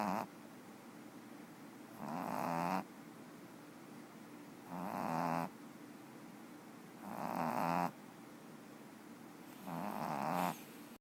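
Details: Napping cat Boba Fetch produces rhythmic snoring: five grainy, crescendoing breaths of under a second each, repeated roughly every two and a half seconds, with near silence between them.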